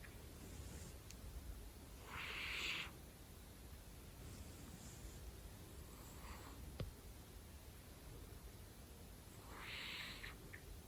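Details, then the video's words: ['Sleeping male domestic cat snoring indoors: two soft, breathy, hissing snores several seconds apart against a quiet room hum, with a faint click between them.'] "Snoring so Loud Part 2"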